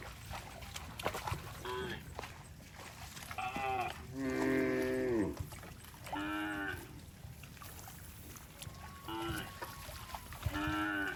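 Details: Cattle passing through water in rice fields call repeatedly; six harmonic moos of varying length, one longer and louder with a falling end, spread across about eleven seconds amid splashing.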